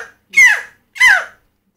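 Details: A large mountain chicken frog (Leptodactylus fallax, "crapaud") in Dominica, caught by hand, throws back its head and opens its mouth to give two loud, harsh, wailing screams, its stress/alarm call; distinct from its mating call.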